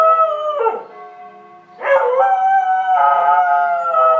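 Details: George the Border Collie singing to the church bells at 12:00 or 18:00: three quick howled phrases, each starting high and sliding down, with sustained bell resonance running underneath throughout.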